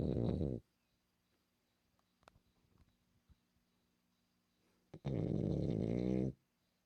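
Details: Pet French Bulldog Milla, a female, snores indoors. A rough, guttural snore fades out first, then a few faint clicks and breaths, then another loud, buzzing snore over a second long.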